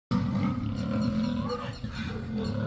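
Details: Lion. A lion roars in a low, gravelly rumble, loud and sustained for nearly three seconds. The voice stays deep and throaty, swelling slightly without breaking off.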